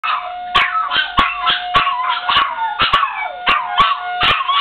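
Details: Two dogs howling together in response to a loud town horn, which sounds at 1:15 every Monday. Wavering, overlapping howls rise and fall over a steady horn tone. Sharp clicks recur throughout.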